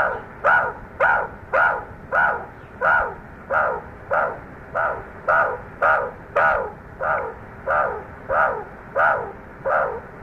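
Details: Meerkats showing aggression toward a snake's scent trail they had over-marked with their own scent: harsh, barking calls repeated steadily, about one every 0.6 seconds, for ten seconds, with faint background hum.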